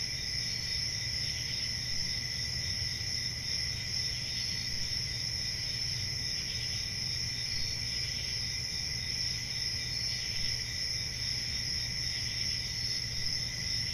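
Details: Crickets trilling through a warm summer night in the forest, an even high buzzing wash with fast faint pulsing and steady level, low murmur of background noise below.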